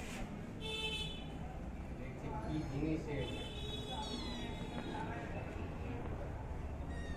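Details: Hungry cat indoors waiting for milk while kittens feed ahead of the mother: several short, high meows spaced irregularly across a few seconds, against a constant low background rumble.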